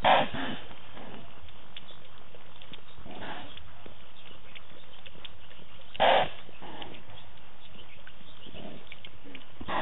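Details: Leopard Tingana sawing at the Djuma camera in wild Africa, 20 November 2018, with Thandi present: rough, rasping grunt strokes spaced about three seconds apart over a quiet, low background hum.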